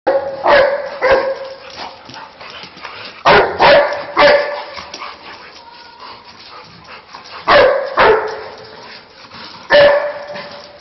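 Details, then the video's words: Two Labrador Retrievers barking while playing; sharp loud barks come in pairs and clusters, with gaps of a few seconds between bursts, over low background noise. "Dog barking Labrador"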